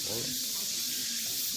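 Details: Male cicada at a red-clay path in Daegu Arboretum, walking backward toward the ground, sings a steady, hissing high-pitched buzz while a person talks softly underneath.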